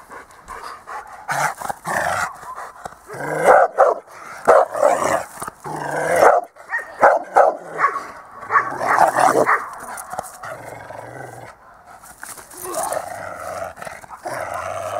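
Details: Dog at the Itus Kutyasuli dog school during a training session on 8 December 2013, giving short, sharp barks in irregular bursts, mixed with spoken Hungarian commands and praise from a trainer.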